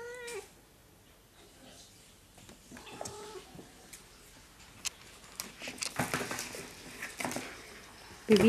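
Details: Pepita, a pet cat perched on top of a crash helmet indoors, gives short, level, tonal meows near the start and again around three seconds, with a rising squeak at the end; background music and rustling run throughout.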